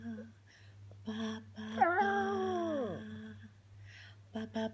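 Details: Luckey, a female Jack Russell Pug (Jug) cross, sings along indoors with her owner's steady low humming: a single high, wavering howl that bends then slides downward for about a second, with soft humming before and after.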